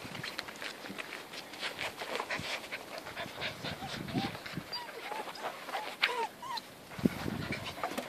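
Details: Alfie the whippet at play with kelpie puppies on a friend's farm: quick breathy panting bursts repeated through the clip, with several short high whining squeaks in the second half.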